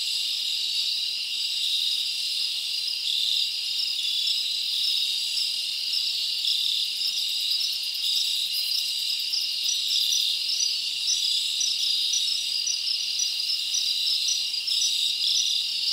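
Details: Crickets in a summer forest chirp at night as a sustained, shrill, evenly pulsing chorus, with faint higher ticks scattered through and no other sounds standing out.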